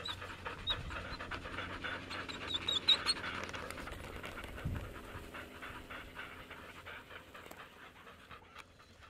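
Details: A Samoyed pants while cooling off during a 14-mile carting outing in Minnesota on a warmer-than-forecast 44F day; rapid soft breaths stand out early, with faint high squeaks, then fade into quieter background.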